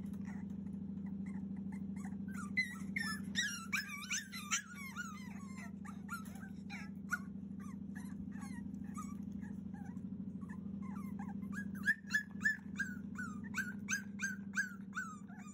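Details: A 42-day-old Cavalier King Charles Spaniel puppy cries hard to be let out, 30 June 2021: rapid, pitch-bending whines and short yelps tumble in clusters, with a pause mid-way, over a constant low hum.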